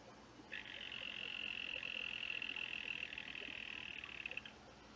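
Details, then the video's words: Green and black dyeing poison dart frog singing: one steady high buzzing trill lasting about four seconds, even in pitch and loudness, ending abruptly, over a quiet indoor background. "Dendrobates Auratus Green & Black Song"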